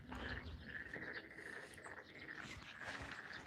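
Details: A chorus of frogs at Yangdong Maeul, a historic hanok village in Korea, gives a steady, trilling hum over low background rumble.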